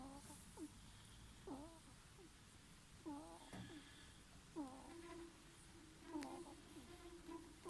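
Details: Sleeping ferret snoring: soft squeaky, tonal breaths in paired in-and-out wheezes, each pair about every one and a half seconds, over a faint steady hiss of a quiet room.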